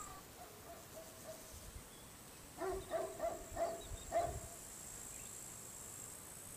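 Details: Dog barking around a farmhouse on a summer day in the countryside: about five short, harmonic, mid-pitched barks in quick succession, fairly faint, over a steady high insect-like hiss and quiet rural background.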